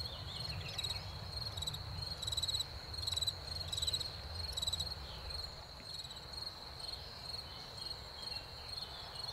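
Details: Chorus of crickets in spring after rain: a continuous high trill overlaid with louder pulsed chirp bursts about once a second, plus a low rumble of distant noise.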